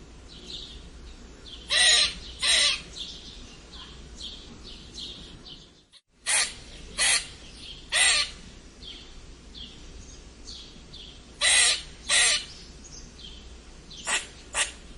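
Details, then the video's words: Red squirrel with odd squeaking calls: harsh, raspy squeaks mostly in pairs, about ten in all, with a brief hush near the middle and faint high twittering between the bursts. "Eichhörnchen seltsames Quietschen !"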